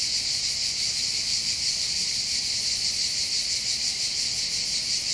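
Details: Cicadas singing on the hills over the port of Bandol, Var, on the French Riviera. A harsh, high-pitched buzzing drone throbs regularly, about three beats each second, over a quiet low background.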